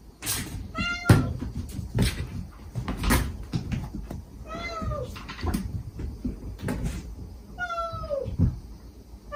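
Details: Gentle calls from a stray mother cat summoning her kittens while they reply affectionately: three clear, falling meows spaced a few seconds apart, mixed with knocks, thumps and handling noises.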